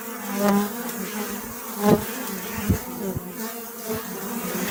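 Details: Honey bee buzz, low and humming, with a louder close pass near the start. Two or three crisp clicking knocks are heard against the steady droning background.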